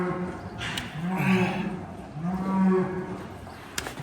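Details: Noisy cows mooing in the background of a hoof-trimming session on a farm in south west Scotland; two long, low rumbling moos swell and fade, with clanking gates and barn clatter.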